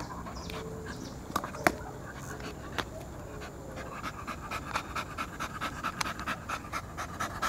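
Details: Pet poodle breathing in rhythmic panting huffs that start faintly and grow louder and more regular toward the end, with a few sharper clicks and a human voice near the start.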